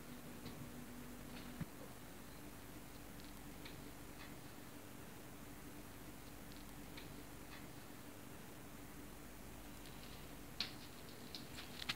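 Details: Quiet indoor room with a steady low hum and scattered soft ticks and taps, no animal calls.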